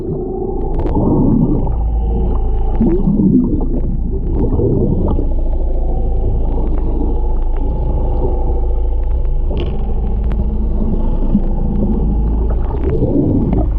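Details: Humpback whale mother and calf recorded underwater off the Ogasawara Islands, Japan, on 11 February 2021 during whale watching; low wavering moans and bending tonal calls rise and fall over a steady low rumble and gurgling water.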